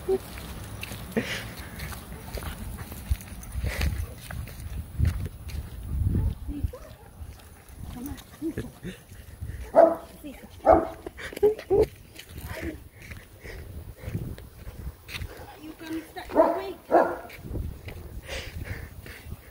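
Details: Dog barking outdoors, loud short barks coming in clusters around the middle and near the end, with people talking throughout and a faint high insect hum behind.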